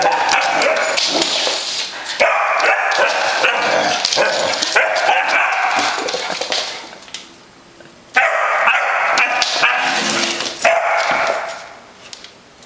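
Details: A brave Basset Hound puppy "fighting a monster" barks and yips in rapid, uneven bursts, pausing briefly before starting again.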